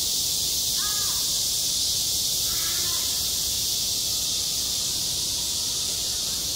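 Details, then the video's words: Midsummer cicadas droning at a school playground, an even, intense high hiss-like buzz throughout; two short cawing calls from another animal sound near the opening and around the third second. "한 여름 운동장에서 매미가 울고 있다"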